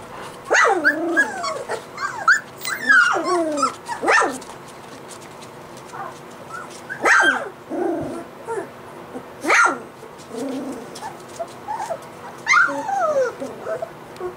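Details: Several 3-week-old white Golden Retriever puppies give thin, rising-and-falling whimpers, squeals and short yelps, often overlapping, in clusters every second or two with brief quieter gaps.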